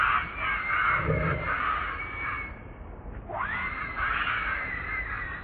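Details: Young monkey Leo wails for its mother's milk: a continuous, shrill, hoarse crying broken by a brief dip, then a sharply rising squeal that flattens into another drawn-out wail.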